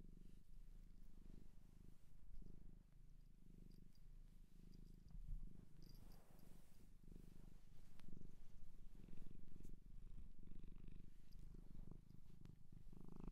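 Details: Purring of a shelter cat adopted in Japan, heard at close range indoors: a continuous, even, low vibrating rumble with rhythmic breathing swells and occasional faint rustles.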